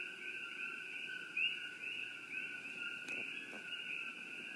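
A dense night chorus of coqui frogs, their high chirping notes blending into two steady ringing tones.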